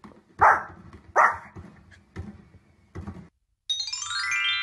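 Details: Domestic dog giving two loud, rough barks close together near the start, then a few fainter thuds, followed by a burst of rising electronic music at the end.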